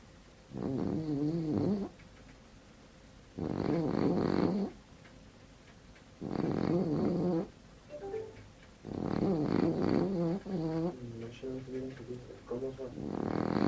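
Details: French bulldog snoring in steady cycles, each a rough, wavering, rattly breath lasting over a second, repeated about every two and a half seconds with quiet pauses between, in a small indoor room.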